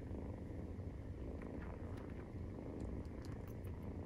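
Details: Maine Coon cats purring while the 43-day-old kittens suckle, a close, loud, low buzzing rumble pulsing quickly and evenly, with faint small clicks near the end.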